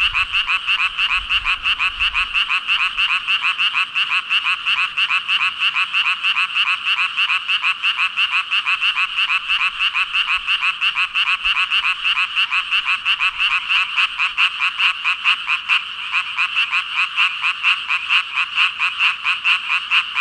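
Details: Massed calling of some five thousand frogs: a steady, shimmering chorus of quick overlapping croaks that never pauses, with a faint low rumble only at the very start.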